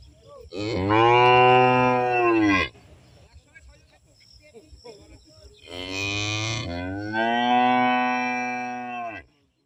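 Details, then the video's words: Cow in an Indian village lowing twice: a loud, sustained moo lasting about two seconds, a quiet gap with faint rustling, then a longer moo that starts rough and settles into a steady tone. "Cow Sound"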